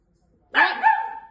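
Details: Long-haired Miniature Dachshund puppy, female, barking in a dramatic reaction on finding her owner not home; one harsh bark sliding into a drawn-out whining yelp lasting almost a second, indoors.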